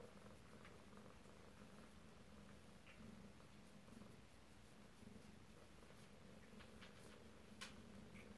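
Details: Close-up of Alabama kittens indoors, 2/7/18: an unbroken, soft, low purr runs for the whole stretch, even and rhythmic, with small scattered ticks of movement.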